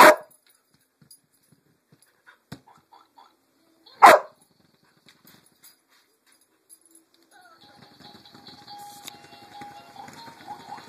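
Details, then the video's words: Lucy, a pet dog, gives two sharp isolated barks at a Pink Pig Bumble Ball, about four seconds apart, followed by quiet ticking and the toy's rattling, whirring motor in the final seconds. "Lucy barks at bumble ball"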